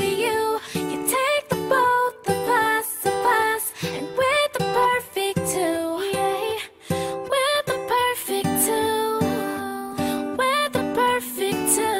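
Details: Upbeat children's-style music with plucked ukulele or guitar and singing plays continuously, with short pauses between phrases and no animal sound.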